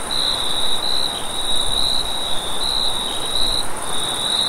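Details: Night chorus of crickets in a wheat field: a bright, ringing high trill in bursts of about a second with brief gaps, a softer very high hiss above, and steady wind noise below.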